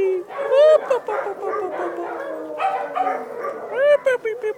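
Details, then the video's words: Several Dachshund puppies beside their mother, August 5th 2011, whimpering together; arched, rising-and-falling whines overlap continuously, with a few louder squeals standing out. "Dachshund Puppies"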